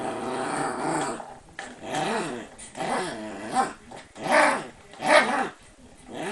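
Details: Playful Shiba Inu Sora, kept behind lattice fencing for being too mischievous, produces a rising-and-falling grumbling growl with whiny, wavering tones, swelling into louder grunting pulses toward the end.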